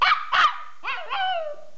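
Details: Small pet dog enjoying himself: two quick harsh barks, then a brief wavering howl that rises and falls before trailing off.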